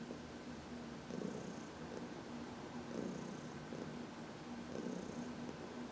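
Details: Heidi, a senior cat adopted from the Humane Society of New York City, purring while being massaged in the sun on March 19, 2021; steady low rumbling purr that swells roughly every two seconds with each breath.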